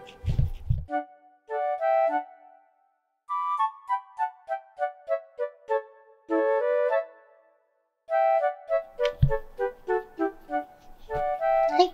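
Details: Melodic keyboard-like music plays in short phrases of stepped, descending notes separated by brief silences, with no animal voice heard.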